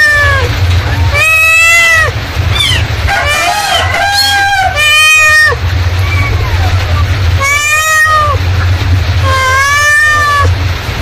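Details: Mother cat calling in repeated harmonic meows, some long and arching, with a cluster of higher, wavering mews in the middle, possibly kittens, over a constant low droning hum.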